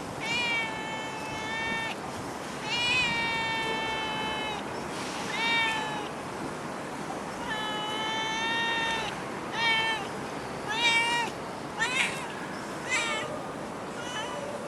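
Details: Stray cat in Singapore meowing insistently: a run of long, even cries followed by shorter, quicker, sharper meows toward the end, with steady background hiss.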